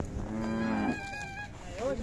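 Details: Khillar bull, a large castrated male shown at the Athani fair in Belgaum district, gives a low drawn-out moo lasting under a second, with crowd noise and a voice in the background.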